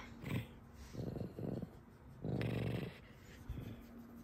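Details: Alice, a pet fox kept at home, being mischievous: low, rasping growls in short bursts of about half a second, then one longer growl near the middle, with quiet room noise between.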